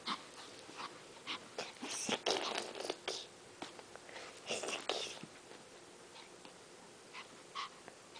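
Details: Pet dogs Sugar and Boo indoors, excited while waiting for snow and stirred up by a high-pitched growling noise from their owner; short sharp barks and yips come in irregular bursts over several seconds, then fade to a few scattered yelps.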